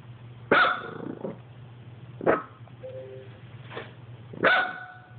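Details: Dog barking at an Xbox indoors: sharp, loud single barks, several in under five seconds, the first and last strongest with ringing tonal tails, over a low steady hum.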